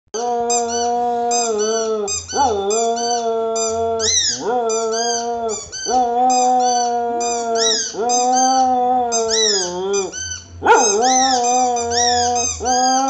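A Cocker Spaniel howls in long, wavering tones, sliding up and down in a sing-song way.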